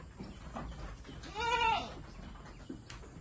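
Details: A Saanen dairy goat, an import from Thailand, gives one short, clear, arched bleat in the middle, set against quiet barn background noise.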